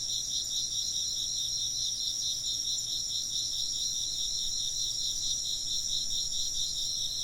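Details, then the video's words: A continuous insect chorus with stacked high trills that pulse rapidly and evenly, about two beats a second in the lowest layer, holding steady throughout under a faint low hum. "風鈴の音と虫の声 - wind chimes and chirping insects"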